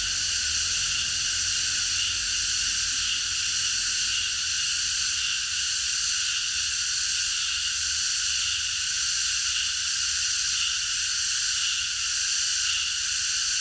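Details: Cicadas in chorus in a park at night, forming a continuous sizzling high drone with subtle shimmering pulses and no breaks throughout.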